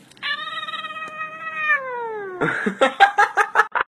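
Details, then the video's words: Cooter, a talking kitty, prompted about the sound a fire truck makes, gives a long, steady siren-like yowl that slides lower near its end, then a quick run of short, choppy meows. "Cooter the talking kitty"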